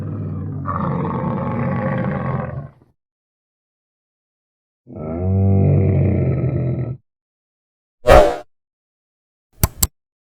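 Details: Dromedary giving two long, deep, rumbling groans, each about two seconds long with a gurgling texture, separated by silence, followed by brief sharp clicks.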